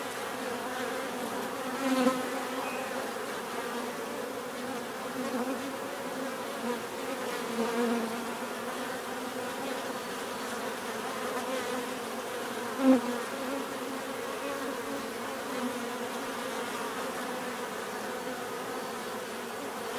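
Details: Bees buzzing naturally, a dense steady drone with humming bands in the low-middle range, overlapping wingbeats from many insects, occasional brief louder passes near two and thirteen seconds.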